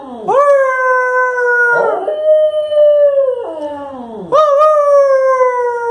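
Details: Male Lhasa Apso talking back to his owner in the evening with drawn-out howls. Three sustained, clear, harmonic notes each rise sharply, hold steady, then sag at the end, with a brief scratchy break between the first two.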